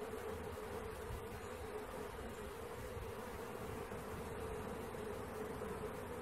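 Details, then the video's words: Swarming honey bees being collected, their combined wingbeats forming a constant, slightly wavering hum with no other clear sounds. "Catching Bees start to finish bee swarm"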